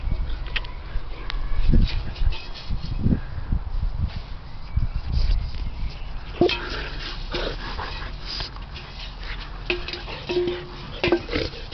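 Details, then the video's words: Boxer puppy Lucya, puffed out after playing with her favourite toy; heavy breathy low puffs come in bursts through the first half, then a few short whimper-like tones and soft rustling later on. "Puffed out Boxer puppy"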